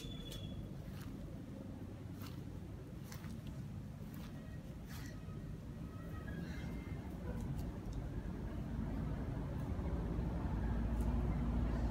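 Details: Low engine rumble of passing traffic fills the background, with faint scattered speech and a steadily rising noise level toward the end.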